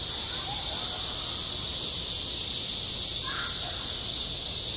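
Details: Cicadas droning at a school playground on a hot summer day: an even, hissing high buzz without pause, with a short faint call rising briefly near the end.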